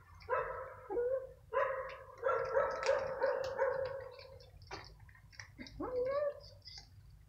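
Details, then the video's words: Hungry stray cats, one older cat keeping a smaller gray one from food, yowl while fighting in the evening; long droning growls swell and waver, broken by a short pause and ending in a rising wail. "STRAY CATS FIGHTING OVER FOOD"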